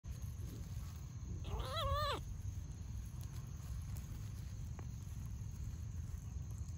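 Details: Domestic cat, one of a mother and her kitten living together: a single drawn-out, wavering meow lasting under a second, rising then falling, over constant low rumbling background noise.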